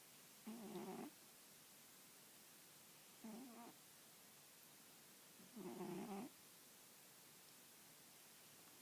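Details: Sleeping female cat lying on an old newspaper, head on her arm, gives three soft buzzy snores at steady intervals of roughly two and a half to three seconds, the last the longest and fullest.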